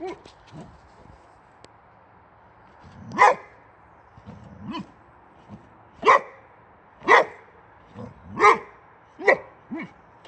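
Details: Swedish boxer male Rex barking angrily at a wheelbarrow's tire: soft low woofs and growly sounds early, then a run of loud sharp barks about one per second, some quieter yips between.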